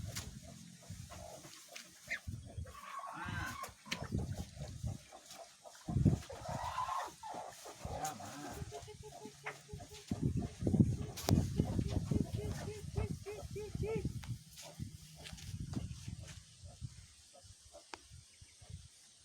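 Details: Two stall-kept Brangus and Limousin beef cattle being fattened in a barn. A long, low, harmonic moo swells midway through and holds for several seconds, surrounded by shuffling, knocks and other barn clatter.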